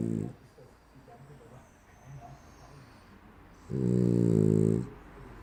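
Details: French Bulldog asleep, snoring in a humanlike way: the tail of one snore, a long quiet stretch of soft breathing, then a single loud, low, vibrating snore of about a second.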